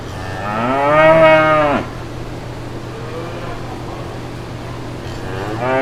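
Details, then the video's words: A brown cow in green pasture with calves nearby gives one loud, rich moo lasting over a second, followed by a faint distant moo and another beginning at the end. "5 Minutes of Real Brown Cows Mooing"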